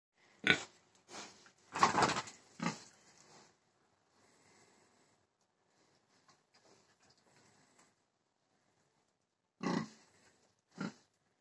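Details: Pig making a few loud harsh grunts and snorts in bursts near the start, then a long near-silent stretch, then two more short grunts near the end, in a quiet room.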